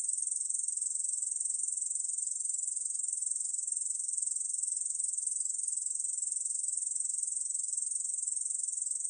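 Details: Ussuri bush cricket song recorded in 2020: a long, steady, high-pitched buzzing drone made of quick pulses, never pausing, alone with no background sounds.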